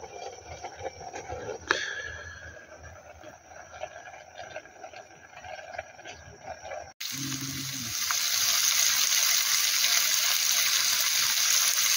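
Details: Running water and faint voices at a campsite by Unmun Dam in Cheongdo, followed by a sudden loud hiss.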